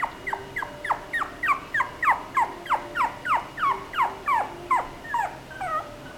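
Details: Chihuahua whining in a rapid, steady series of high yelps, each sliding sharply downward, roughly three per second without a break, in a quiet indoor setting.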